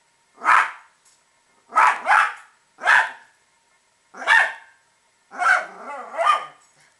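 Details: Pet Italian Greyhound barking at squirrels it hates: short sharp barks, some in quick doubles, five bursts in seven seconds, the last a longer broken, whining run of barks; quiet background.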